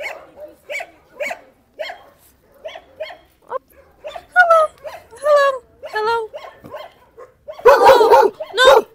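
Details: A dog in a shelter, requesting cuddles, gives short repeated yelps and whines, then rising harmonic whines and a couple of louder barks near the end, with a person speaking and calling out.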